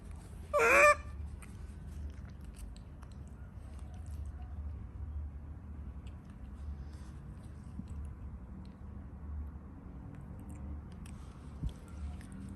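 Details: Frightened monkey giving a single loud, harsh, rising-and-falling shriek lasting under a second near the start, followed by steady low rumbling background noise and a few faint clicks.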